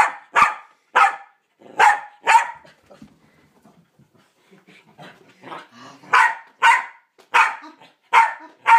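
A Pembroke Welsh Corgi barks in loud, sharp bursts about every half second to warn of a threat. A quieter stretch in the middle holds softer, mixed sounds before the urgent barking resumes.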